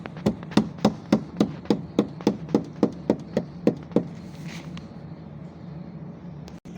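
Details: About thirteen evenly spaced knocks sound roughly every quarter second over four seconds, then faint room noise follows.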